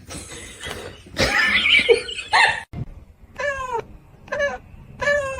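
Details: Domestic cat making short, rising-then-falling harmonic meows in the second half, three calls about half a second apart, after a stretch of rustling and people's voices indoors.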